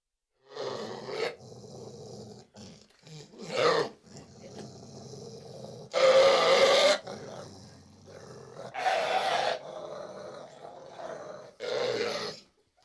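A Springer Spaniel barks in sharp, loud bursts spaced a few seconds apart. Between the barks it keeps up a softer, throaty growling and grumbling.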